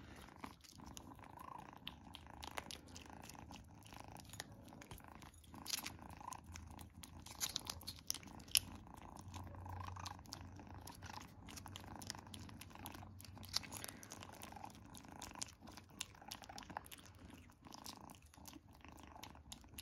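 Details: Young female kitten Izzy munching her first treat, a soft rumbling purr sustained across twenty seconds, mixed with frequent crunchy bites and chewing snaps scattered evenly through the recording.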